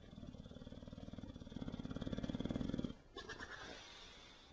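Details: Benny, a bulldog, snoring: a low, rattling, fluttering snore lasting about three seconds and swelling louder toward its end, then breaking off into a short, breathy, noisy exhale.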